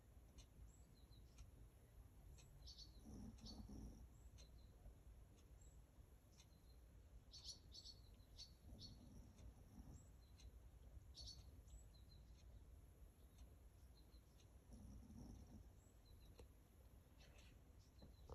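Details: Fast asleep, Simon the Chihuahua, father of a family of Chihuahuas, lets out slow, hushed snores, each low breathy swell about six seconds apart, while small birds chirp sporadically above a constant background hiss.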